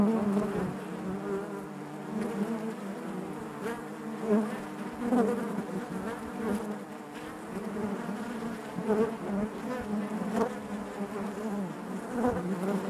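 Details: Honey bee colony humming inside its hive, a continuous low buzz with many overtones, gently fluctuating in loudness with periodic closer bees buzzing past and faint tapping sounds.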